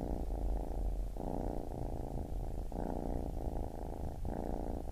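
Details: Low, rattling purr of a baby kitten, cycling in phrases about a second long with brief breaks between breaths, steady and soft.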